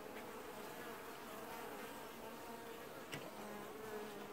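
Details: Dense continuous humming of honey bees washboarding at their hive in an apiary in early July 2019, an even droning swarm sound with a faint brief tick near the end.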